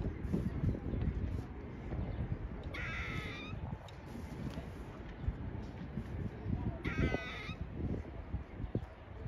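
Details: Squirrel beneath an American flag squawking twice, several seconds apart, each burst a brief raspy, nasal call with stacked tones, set against steady low rumble and faint ticking background noise.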